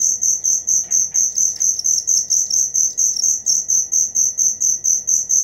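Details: High, metallic cricket chirps repeated rhythmically a little over twice per second, clean and constant, with a brief soft bird twitter near the start.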